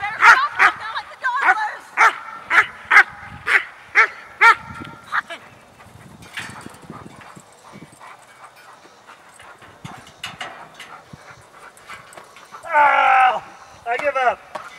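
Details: Trained personal protection German Shepherd confronting a burglar: about nine sharp, loud barks in quick succession over the first five seconds, then a man speaking, with a burst of raised, strained shouting near the end.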